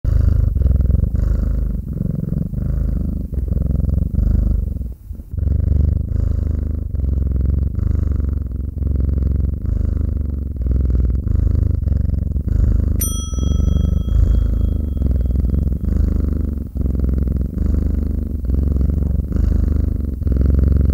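A domestic cat purrs steadily, a deep rumbling vibration that swells and fades with each breath.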